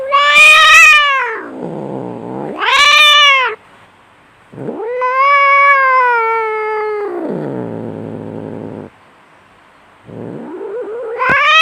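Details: Fierce fighting domestic cat: loud wailing yowls rising then falling, each followed by a descending throaty growl, with brief silences between bouts and a new yowl starting at the close.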